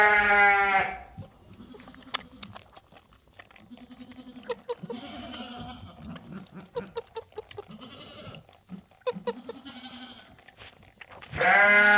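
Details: A young goat kid being bottle-fed, happy and wagging its tail, gives a loud, harmonic bleat at the start and another at the end. Between them come soft sucking, smacking and clicking sounds.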